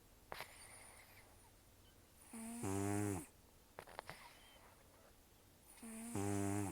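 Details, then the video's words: Rescued senior cat Tarō, about 10–14 years old with almost no teeth after long outdoor life, snoring heavily while asleep indoors: two harsh rattling inhalations, each building into a loud buzzy harmonic snore about a second long, with soft breathy clicks between. "ねこのいびき 猫 いびき"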